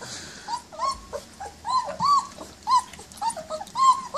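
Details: Short-haired German Shepherd puppies at feeding time in Harvard near Chicago, giving a run of high, thin whines that rise and fall, about ten short cries in four seconds, indoors with little else heard.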